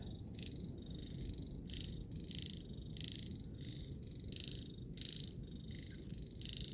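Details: Frogs croaking at the water's edge in the rainy season: short, high, rasping bursts repeated roughly every half second, over a steady low rumble.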